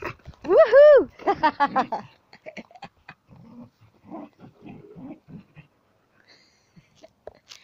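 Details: While playing ball, Sam the Border Collie gives short, wavering whines that bend up and down, followed by quieter chatter from a person.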